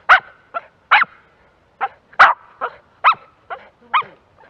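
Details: A Jack Russell Terrier working across open ground. It gives irregular sharp barks mixed with softer yips, some close together and some after short pauses.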